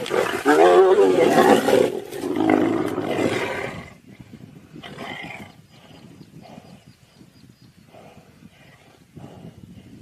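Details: Tiger in a fight with a lion, loud raspy roaring snarls filling the first four seconds, then dropping to faint scuffling, soft growls and a few brief noisy bursts.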